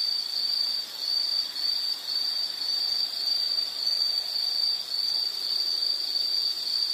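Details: Insects calling in a relaxing nature recording: a high, bright tone broken into short repeated bursts, almost two per second, with soft dips in loudness between groups.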